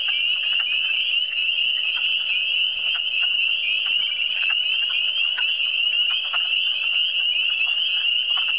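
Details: A dense frog chorus in Quebec's Eastern Townships of many overlapping high, trilling calls merging into a steady shimmering drone.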